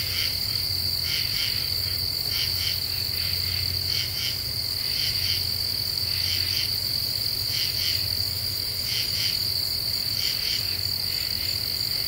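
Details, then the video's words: Common true katydids singing at night in an Eastern U.S. deciduous forest in the Ozarks, recorded 28 July 2013: raspy pulsed bursts of two to three beats repeating about every second, over a steady high insect drone and a low hum. "Half Moon and Common True Katydids"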